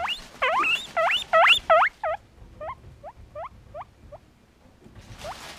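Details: A hungry pet guinea pig wheeks loudly for food: a rapid series of high, upswept squealing whistles, loud at first and then softer and shorter, repeated about three times a second.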